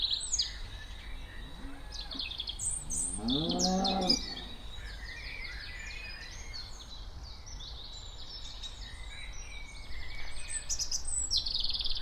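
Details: Cows walking around outdoors. A single low, rough moo lasts about a second near the middle, with chirping birds throughout and steady rural background noise.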